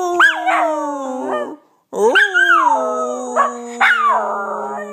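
A Miniature Schnauzer howls in long, wavering notes that rise sharply and then sag.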